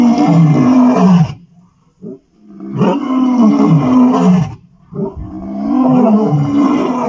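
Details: Vuyela male lions roaring, recorded 1 November 2023: deep, loud bursts with strong low harmonics. A roughly one-second roar is followed by a brief quiet and a short grunt, then two longer, sustained roaring stretches.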